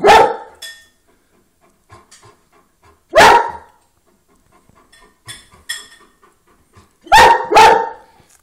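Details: Dog barking after seeing a rabbit in the window: loud, sharp single barks spaced a few seconds apart, the last two in quick pairing, with quiet gaps and faint soft noises between them.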